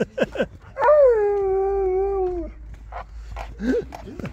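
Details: Siberian Husky crying with joy at seeing people: a sustained wavering whine lasting about two seconds, gently falling in pitch, framed by short yips and muffled human voices.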